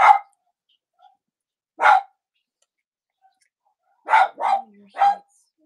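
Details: Cavalier King Charles Spaniel in a home whelping setup with the puppies of mothers Robin and Myra, US, on a chilly Monday morning near Halloween. Five sharp barks: one at the start, one near two seconds, then a rapid triple burst, with quiet gaps between.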